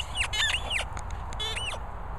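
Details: Border Collie puppies Pippin and Sam squeaking: a quick run of high, thin squeaks, each arching up and then sliding down, several bunched within two seconds, with a low background rumble.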